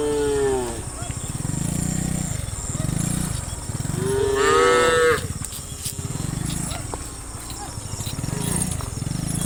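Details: Herd of dozens of tame cows lined up and running and jumping downhill. A clear moo opens the clip and a longer, slightly rising moo follows four seconds later. A low, pulsing rumble continues throughout.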